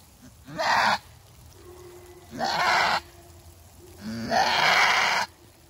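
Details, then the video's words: Screaming goat giving birth for the first time, outdoors: three harsh, drawn-out bleats roughly every one and a half seconds, the last longest and wavering, with a faint steady tone between calls. "Screaming goat giving birth"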